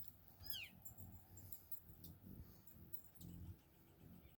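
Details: A roughly 800-pound mammal gives a brief, high, squeaky squeal, like a dog's squeaky toy, that falls away quickly.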